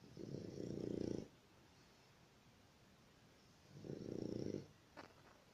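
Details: A dog snoring: two long, low, rasping snores, each about a second long and spaced roughly three seconds apart, separated by quiet breathing, with a brief sharp click near the end.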